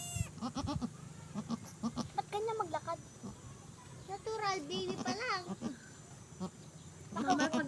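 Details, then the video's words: Freshly delivered mother goat bleating in drawn, wavering cries, with a cluster of calls midway and another at the end, set against steady human chatter. "nanganak na Ang kambing"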